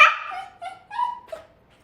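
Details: A dog performing tricks on command (paw, high five, roll over) gives a quick burst of whiny, yelping vocal sounds that fall in pitch and trail off, unable to do a trick without making noise.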